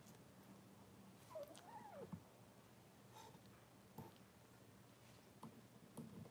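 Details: Cavalier King Charles Spaniel puppy, six weeks old, indoors in a puppy pen during deworming and toenail trimming; one soft rising-then-falling whine, then quiet rustling and small clicks.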